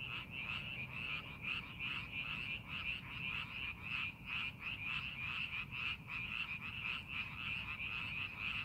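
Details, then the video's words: A frog chorus rises from paddy fields readied for the farming season. Many overlapping callers produce a ceaseless trilling rattle of quick pulses over a faint low hum. "농사준비하는 논에서 개구리 울음소리"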